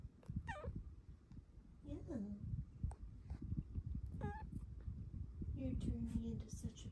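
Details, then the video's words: Pet cat, a female, cuddling indoors one morning, utters several short chirps and falling mewing trills spread through the moment, with a woman's gentle praising voice and bedding rustle underneath. "BEST kitty noises you’ve EVER heard!"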